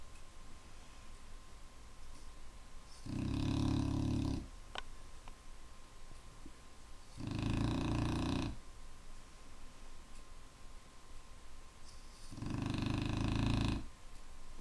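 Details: A Clumber Spaniel snores loudly and steadily. Three deep, buzzing snores come roughly every four to five seconds, each about a second and a half long, with quiet breathing between them and a faint constant hum.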